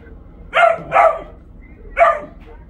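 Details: Bo the dog barking at his toy box: three sharp, mid-pitched barks, the first two close together and a third after a pause, over low indoor hum.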